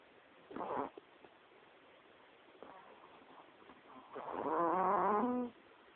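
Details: Bell, a female Chihuahua, snoring loudly while fast asleep beside her owner at night, filmed on a mobile phone; a short rough snort, a quieter pause, then a long harsh, wavering snore with a whistling buzzy edge.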